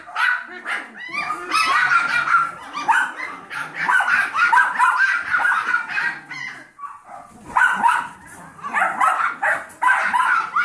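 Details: Yorkshire Terrier foster puppies aged seven weeks, with their mother and a young Golden Retriever mix foster pup, yapping together; shrill overlapping yips and squeaky barks pour out almost nonstop, with a short lull before the seventh second.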